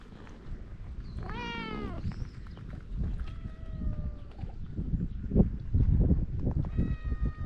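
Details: Stray cat on Japan's cat island, recorded with a GoPro. A strong, rich meow rings out early, followed by thinner, fainter mews against steady low outdoor rumble and scuffing.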